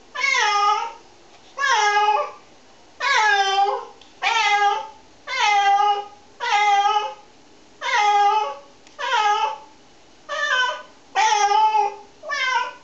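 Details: Cat protesting during a shampoo, one of three cats being bathed; ten strong, evenly spaced meows roughly every 1.2 seconds, each bending down then holding, indoors with little background noise.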